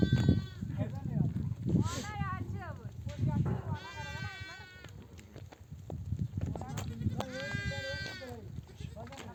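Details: Nomadic flock of sheep back from desert pasture among oak trees, mother ewes bleating to call their lambs to nurse; long quavering harmonic bleats from several animals overlap around the middle and end, over low rumbling background and shuffling.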